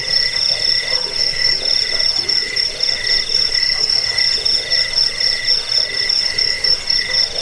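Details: Steady cricket chorus meant to repel rats, aid sleep and teach birds; a piercing high trill runs almost unbroken while lower chirps come in quick regular bursts, with faint background hiss.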